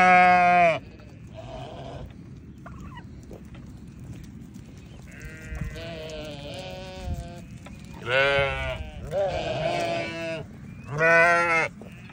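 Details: Newborn lambs bleating: several loud, harmonic, wavering bleats about a second long, spaced irregularly across twelve seconds, with quieter softer bleats between and a low steady hum underneath.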